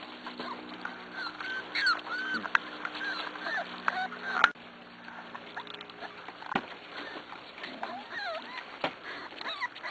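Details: Weaned six-week-old Pembroke Welsh Corgi puppies indoors by the stairs, giving thin, high, wavering squeals that rise and fall, several overlapping in quick runs, with sharp clicks and a soft woman's voice between them.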